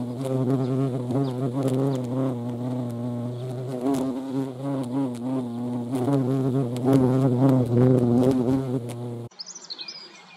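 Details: A European hornet buzzes around a feeding place, its low humming wingbeat wobbling in pitch for about nine seconds before cutting abruptly to quieter background sound.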